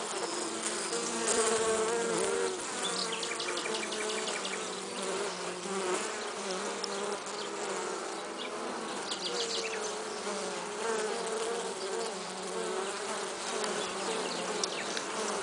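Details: Western honey bees carrying pollen, a steady droning buzz of overlapping humming tones that waver and slide in pitch as the insects move about, with faint rapid ticking in the higher register throughout.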